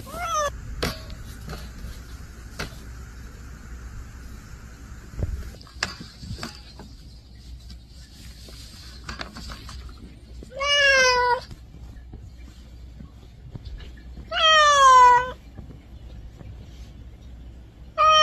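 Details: Domestic cat shut in a cage and seemingly aggrieved, giving two drawn-out, strongly harmonic meows about four seconds apart near the end, with soft clicks, taps and faint rustling in the quieter stretches before.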